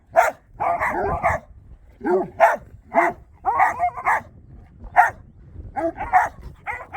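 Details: Dogs barking at a bare piece of ground and refusing to stop: rapid, irregular bursts of sharp barks, often doubled or tripled, under a second apart, with short gaps between the clusters.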